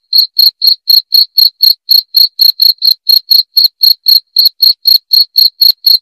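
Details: Cricket sound offered as a clear, loud recording for driving away rats: a steady run of short, shrill, high chirps, about four each second, roughly two dozen in all, with no other sounds.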